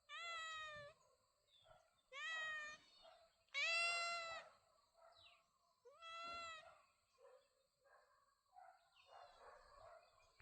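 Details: Pet cat calling with four distinct meows roughly two seconds apart, each bright and rising at the start before dropping away, followed by softer rustling and faint chirpy sounds.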